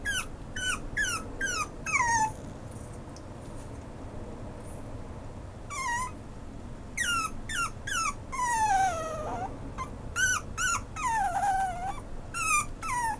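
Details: Maltipoo puppy whimpering indoors: a series of high, thin whines sliding downward, in quick bursts of three or four, with one longer drawn-out whine mid-way, over a steady low background hum.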